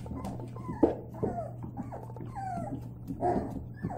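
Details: White Labrador Retriever puppies at play give short, high whimpers and yips, some sliding up and then down, scattered across a few seconds over a steady low electrical hum.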